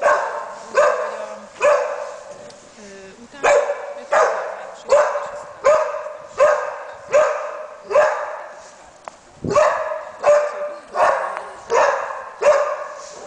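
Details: Labrador Retriever working as a search and rescue dog, barking to indicate a find: a steady series of sharp, harsh barks, roughly one every 0.8 seconds, continuing without pause for over twelve seconds.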